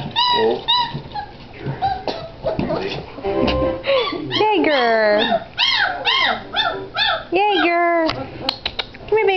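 A litter of Great Dane puppies keeps up a chorus of high whines that swoop up and down, several voices at once. Short, sharp yips break in now and then over a faint background of human voices.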